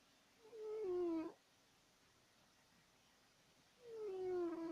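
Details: Sleeping pet cat named Woodward giving two loud, whistle-like snores about three seconds apart, each a drawn-out tone that slides downward, with quiet room hush in between.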